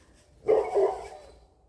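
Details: A dog behind a house barks a little as the owner's cats come to her in cold weather, reacting to animals it is not familiar with. One rough, mid-pitched bark in two quick pulses, then quiet.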